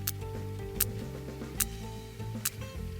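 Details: Sperm whale; echolocation clicks; searching for food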